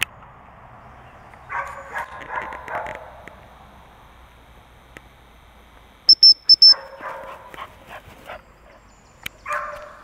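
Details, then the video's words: English springer spaniel giving bursts of quick yelping barks, a cluster in the first seconds and another later, separated by quiet; three short shrill whistle blasts sound between the bursts. "Springer Spaniel Inglese"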